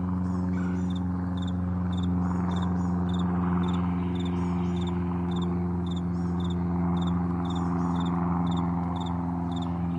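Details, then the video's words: Crickets in the morning on a vast meadow, with short high chirps pulsing rapidly and fairly steadily over a constant low hum. "Morning Crickets"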